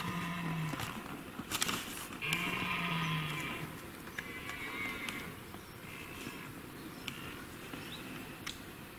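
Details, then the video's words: Red deer during the rut in the Weerter forests, Limburg, Netherlands, 26 September 2016, filmed from about 100 to 300 metres. Two drawn-out, low moaning roars about a second each, over steady background noise with camera clicks from many onlookers. "edelhert (red deer) bronst"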